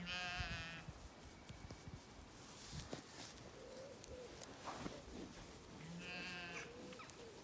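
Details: Jet black Zwartbles lambs and hoggets in an evening field in County Kilkenny, Ireland, swallows diving overhead: a nasal, harmonic bleat opens, soft bird twitters and rustling follow, and a second similar bleat answers about six seconds later.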